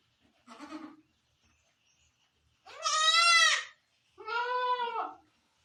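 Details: Barbari goat giving birth on a Sultanpur goat farm: a short soft bleat, then two long, loud, quavering bleats in quick succession, each lasting about a second, over a quiet background.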